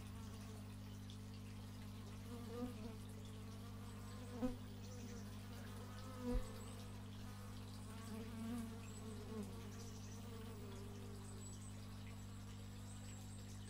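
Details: Bees hum in a soft continuous drone, recorded outdoors in stereo through an x/y microphone, with a few short louder buzzing passes and occasional faint clicks breaking the steady background.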